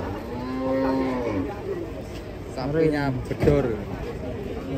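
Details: Giant cattle lowing: a drawn-out, steady low moo near the start, then fainter, shorter lows later, with a murmur of people and background noise throughout.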